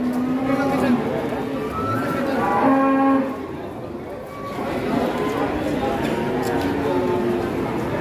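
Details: Giant cattle offered for sale in Indonesia, giving several short, harmonic moos, the loudest lasting about half a second, mixed with a man's commentary and crowd noise.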